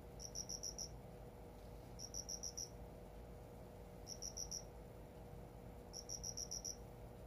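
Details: Captive cricket singing in a new home: bursts of four to five high, clear pulsed chirps, repeated about every two seconds, over a steady low indoor hum.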